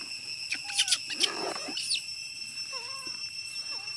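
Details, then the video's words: Apollo, a young chimpanzee, cries from hunger, begging to be fed milk: loud squealing cries with sharp rising and falling arcs, then softer wavering whimpers, over a steady high insect-like drone. "Apollo never change his sound crying request papa to feeding milk for him, Apollo so hungry"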